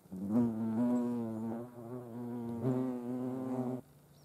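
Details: European hornet at a feeding place alongside ants, Dohr in the Eifel, Germany, 28 July 2022; a steady, deep humming wingbeat buzz in two long passes, a brief dip between them, then sudden quiet.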